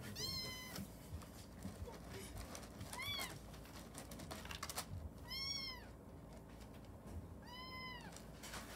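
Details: Young orphaned kitten meows as it strains to pee for the first time: four high, arched meows spaced about two seconds apart, each rising then falling, with scratching and rustling between them in a small room.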